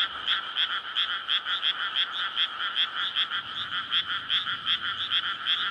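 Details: Frogs courting in a water-filled rice paddy on a May night, residential area nearby; overlapping croaks rise and fall in rapid pulses, about two to three per second, with a soft low rumble in the second half.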